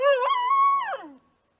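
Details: Australian dingo giving one brief, steady howl that starts with a short upward inflection, holds level, then slides down and fades within about one second.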